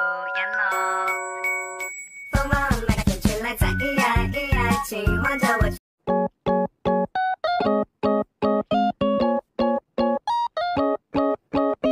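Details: Playful children's keyboard music plays throughout, first sustained tones, then a busy passage, then short bouncy staccato notes.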